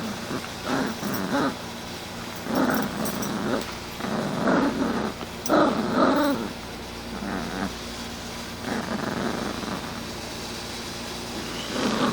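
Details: A puppy growling while playing, rough throaty growls coming in short bursts roughly every second or two, with brief pauses between them, over steady background hiss.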